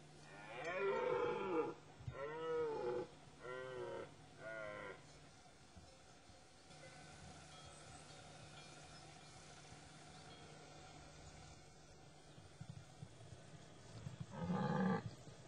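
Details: Rutting dominant stags: a run of four rough, harmonic bellows in the first five seconds, then a long quiet stretch with a faint hum, and a final loud bellow near the end.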